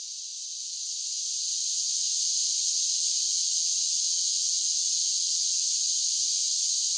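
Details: Cicadas singing in summer: a dense, unbroken high buzzing hiss that swells in loudness over the first two seconds, then holds steady and even, with no other sounds.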